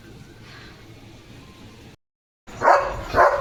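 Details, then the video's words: German Shepherd named Leo on evening barking duty at a farm, protecting his area; after nearly two seconds of low background hum and a brief silence, two loud, harsh barks follow about half a second apart. "German Shepherd Potty Mission ✔️ Barking Mode ON"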